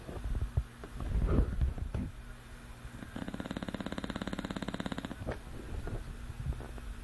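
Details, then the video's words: Sleeping English Bulldog Manny, his vibrating, rattling snore lasting about two seconds in the middle, with rustling and low knocking sounds before and after. "Manny snoring"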